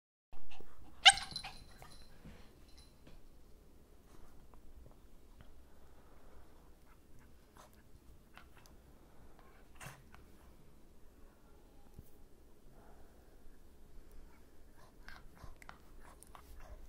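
A Shih Tzu puppy gives one sharp, high bark, followed by soft snuffling and small indoor noises.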